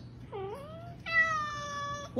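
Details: Domestic cat, featured in a funny cat compilation, meowing twice indoors: first a short mew that dips and rises, then a longer, steady, strongly harmonic meow of about one second, over a low background hum.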